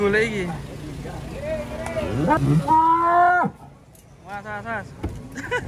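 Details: Cows unloading from a truck moo loudly at close range, with one long, steady, bright bellow near the middle followed by shorter, rougher lows. Faint human voices are heard in the background.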